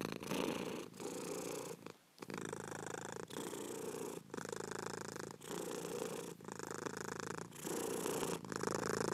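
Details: Domestic cat purring steadily, a low rumbling buzz in cycles of about one second, each broken by a brief breath pause, with a longer gap near the two-second mark.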